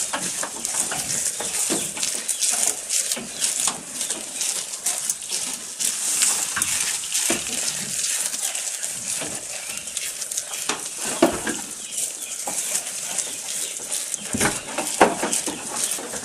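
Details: Goat eating, recorded close up: dense crackling and crunching of chewed fodder, with sharp bright bursts scattered unevenly throughout and a steady hiss of rustling plant material.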